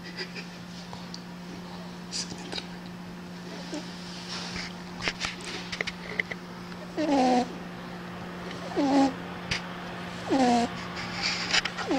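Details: A snoring cat: faint rustles and clicks at first, then three short, nasal, whistling breath sounds about every one and a half seconds, with a constant low hum underneath.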